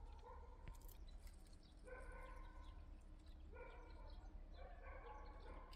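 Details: Liisi, one of several yard cats, calls with a run of four short-to-medium meows, rich in overtones and slightly wavering, separated by pauses and a faint low rumble, with a sharp tap near the start.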